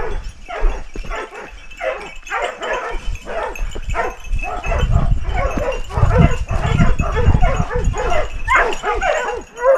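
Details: Several hunting dogs holding a large wild boar at bay in Ribagorza, Huesca, Spain; dense overlapping barks and yelps in a chaotic chorus, with heavy low rumbling and thrashing beneath.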